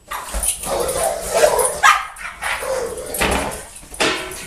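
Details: Janky and Hiccup, a pair of dogs at play, giving harsh, throaty growl-barks and whining yelps in quick overlapping bursts, with rising and falling tones and scuffling throughout.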